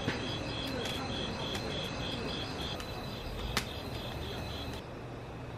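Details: Night grass insects chirping at a mountain glamping site in Gapyeong: a steady, high, pulsed trill repeating several times a second, over broad background noise with a few sharp clicks.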